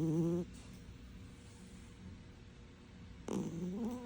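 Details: Cat asleep and snoring loudly, a short droning snore at the start, then a quiet pause before another rough, wavering snore begins near the end.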